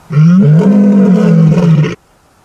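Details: A playful lion cub lets out one loud, sustained, low moaning roar of nearly two seconds, steady in pitch with slight wavers, ending abruptly.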